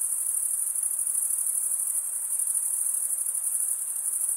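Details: A chorus of crickets keeps up a piercing, high-pitched trill, finely pulsed and even in loudness, with a soft background hiss and nothing else heard.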